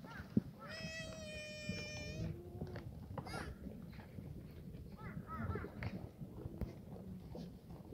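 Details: On a clear Sunday morning, 31 March 2019, a black goat in the exercise yard of Sunny's Black Goat Farm, Gimhae, Korea, gives a steady nasal bleat over a second long. A shorter, lower call follows amid faint yard noise.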